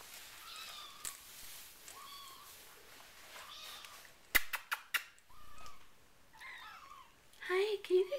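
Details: Four-week-old RagaMuffin kittens, the Winter Wonderland litter, mew repeatedly in short, high, bent cries about every one to two seconds. Sharp knocks break in midway, and a woman's voice speaks near the end.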